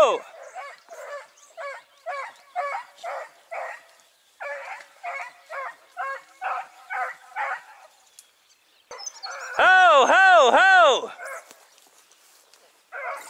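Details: Dachshund working a driven fox hunt in Victoria, 23/10/2022, gives a run of quick, evenly spaced barks, over two a second. A brief pause follows, then a loud wavering bay and more barking.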